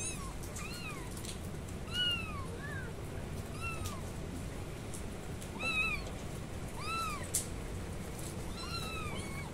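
Several kittens meow in short, high, arched cries, overlapping now and then over a low steady hum.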